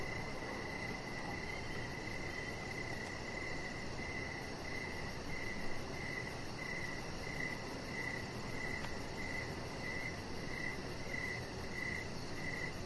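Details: Crickets chirping outside in the evening beside a deck, a high, even pulse repeated about twice per second over steady low rumbling background noise.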